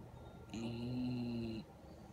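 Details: Sleeping 1½-year-old female Redbone Coonhound in Syracuse, NY, on 2.6.17, who sleeps with eyes open and tongue out, gives one steady, buzzy, droning snore lasting about a second against a quiet indoor hiss.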